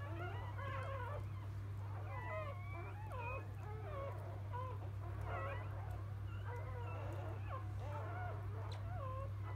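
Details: Field-line Labrador Retriever puppies moments after being born: continuous chorus of reedy, quavering squeals and short mewling whimpers from several pups, pitch bending up and down, with a constant low hum underneath.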